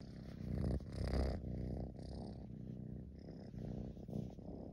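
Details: Deep purr from a tabby kitten lying on a fleece throw, head hidden in the fabric; a rough, throaty rumble with a brief louder, breathier surge near the start, then an even, rolling purr.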